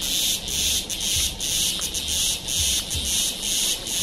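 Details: Cicada calling in India at Kodaikanal and Thekkady, 2014: intense high-pitched buzzing that swells and fades in bursts about every half second, with faint low rumbles in the background.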